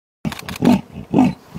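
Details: A female leopard in the Masai Mara, Kenya, gives deep, rasping grunts in a rhythmic series, roaring to attract a male.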